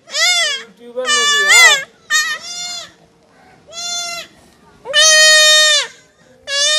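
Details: Goat kid under castration bleating repeatedly: short broken cries, then longer strained ones, mixed with quiet human speech in the background.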